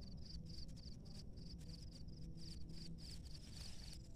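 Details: Field cricket hiding in a hole in rice-field soil under straw, checked before being coaxed out; steady pulsed high chirps in short bursts about every quarter second, over low rumbling background noise.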